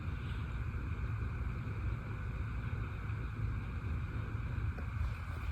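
Steady low rumbling noise like wind or an engine fills the recording, with no animal calls heard.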